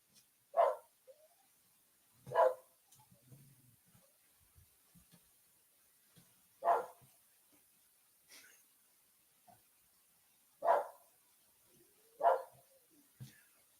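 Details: Dogs barking outdoors within half a second of coyotes starting to call: single sharp barks spaced roughly two seconds apart, some fainter and more distant, separated by quiet gaps.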